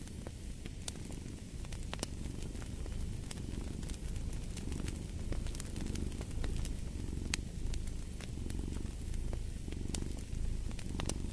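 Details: A cat's deep, continuous purr that rises and falls in slow breathing cycles about every second, over the snapping and crackling of a fire in a fireplace.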